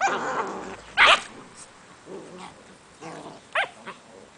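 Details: English Springer Spaniel puppies playing with littermates: short harmonic whines and growly yips, one sharp high yelp near one second and another near three and a half seconds, with quiet gaps between.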